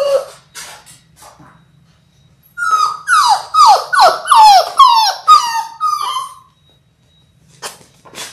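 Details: Indoor Labrador Retriever puppies, six weeks old, six in the litter: a rapid string of high, sharp yelps with steep downward sweeps, about two per second, then quiet and a last short cry.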